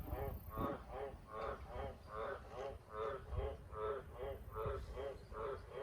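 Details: Wild Australian green tree frog deafeningly loud at close range near farm buildings at night, repeating coarse, resonant croaks about twice per second, eleven in total, with faint low-frequency rumble beneath.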